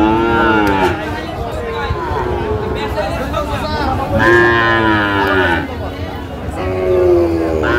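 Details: Sahiwal calves and bulls at a Chittagong cattle market, Bangladesh, 28 February 2025, amid bargaining: three harmonic-rich moos, one at the start, one near the middle and a shorter one near the end, backed by busy market chatter.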